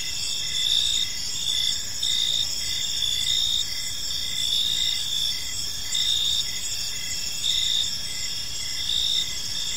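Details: Crickets chirping in a park at dusk: overlapping shrill trills and steady chirp pulses, somewhat irregular, under a soft low-pitched background rumble.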